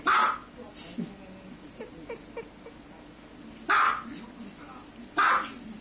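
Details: Dog barking: three abrupt, loud barks, one at the start and two close together near the end, with a few faint clicks and a low hum between them.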